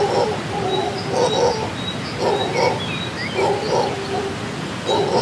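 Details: Morning in a Costa Rican rainforest: howler monkeys give deep, grating roars in rhythmic bursts roughly every second or so, while birds whistle and chirp faintly overhead.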